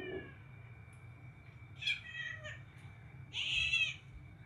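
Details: Domestic cat giving two short, high meows about a second and a half apart, the second longer and slightly wavering, over a quiet indoor background with a faint steady hum.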